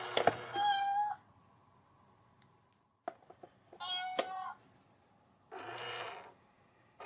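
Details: A cat facing a cat box gives short harmonic meows in separate bursts with quiet gaps between, plus a few thumps and a low hum.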